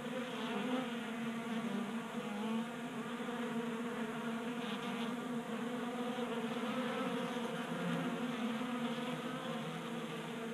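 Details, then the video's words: Honey bees feeding at a 3D-printed tabletop feeder in a garage in Colorado during warm January weather, staying active on a 60-degree day; a dense, steady droning hum of many wings with layered low buzzing tones, unbroken throughout. "45 Minutes of Honey Bees Feasting from 3D Printed Bee Feeder ASMR"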